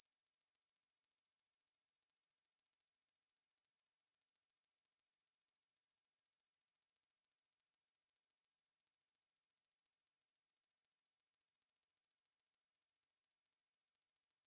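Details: Ruspolia lineosa katydid singing a long continuous high-pitched buzz of fast uniform pulses, with short dips near four and thirteen seconds, captured in 2020 by Korea's National Institute of Biological Resources, in a quiet background.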